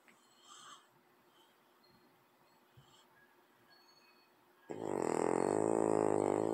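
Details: Sleeping French bulldog beside a cat: after several seconds of near silence with faint rustling, a sudden loud, harsh, rattling snore begins and continues to the end.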